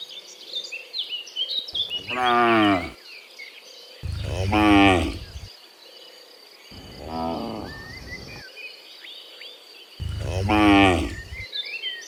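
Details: Cows heading back from the field to the barn in the morning give four long, deep moos, each about a second, spaced two to three seconds apart, one quieter, over steady twittering birdsong.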